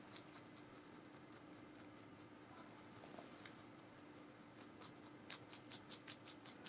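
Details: Giant rabbit named Meonji eating vegetables at Alpaca World, indoors: soft crisp crunching clicks, sparse at first, then quickening into a steady run of sharp bites near the end.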